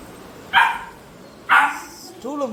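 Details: Labrador Retriever at home during a hide-and-seek game, giving two loud, short barks about a second apart, followed by a brief human voice.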